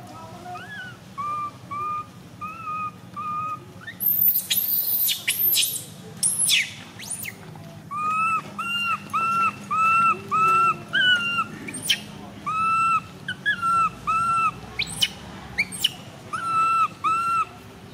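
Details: Tiny baby monkey MoMo, a female, crying around the time she falls down: a run of short whistled, slightly arching cries, repeated about twice a second, with bursts of very high shrill screeches midway and faint low rumble beneath.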